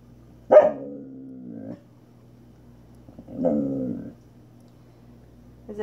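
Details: Female pet Samoyed grumbling back as her owner asks what's wrong: two drawn-out, groaning, howl-like moans about a second each, the first opening with a sharp yelp, separated by a short pause.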